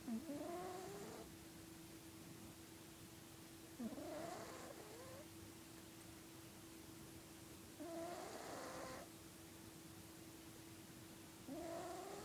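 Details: Felix, a pet domestic cat, snoring loudly in his sleep: breathy snores every three to four seconds, each carrying a whistled nasal tone that rises and bends like a small trumpet, over a steady low background hum.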